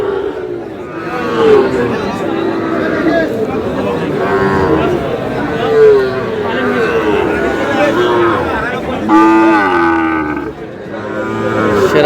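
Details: Small bull calves at a cattle market, bought by a farmer from Madaripur on 4 August, give several drawn-out low moos that bend in pitch. Loud bargaining voices and crowd chatter fill the background.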